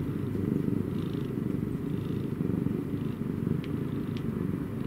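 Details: Purring cat: deep, buzzy, rapidly pulsing rumble that swells and fades in short rhythmic waves, broken by two faint high ticks near the end.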